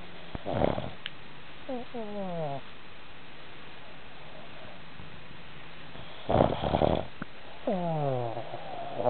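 A Boston Terrier snores with rough, rattling intakes followed by wheezy, whistling exhales.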